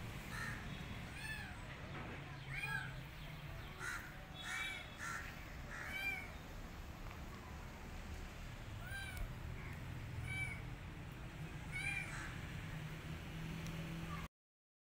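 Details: Kitten rescued from the street, not eating and wanting to go back outside, repeats thin arched meows every one to two seconds over a steady low rumble and light rustling.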